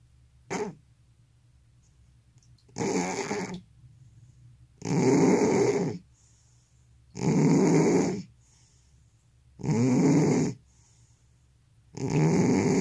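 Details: Snoring elderly cat with sleep apnea: a brief gasp, then a run of five loud, raspy snores, each roughly a second long, coming about every two and a half seconds in a quiet room.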